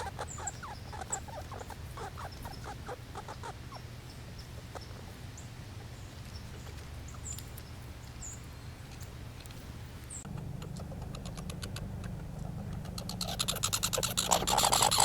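A squirrel gives quick, dry chipping notes in fast bursts, then fades under steady background hiss.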